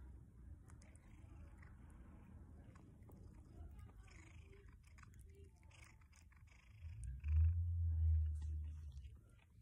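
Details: A 13-year-old pet cat purring while eating broccoli: a steady, low, rumbling purr pulsing throughout, swelling louder and fuller near the end, with faint chewing clicks and light background noise.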